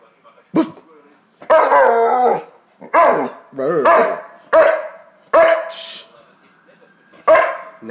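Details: Pet Hungarian Vizsla trying to talk with its owner: a series of wavering, moaning, howl-like vocal bursts, each about half a second to a second long, rising and falling in pitch, separated by short pauses.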